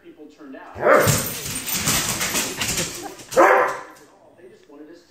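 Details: A Chihuahua confronts two Dobermans, with two loud, sharp barks about two and a half seconds apart, set over steady human talking throughout.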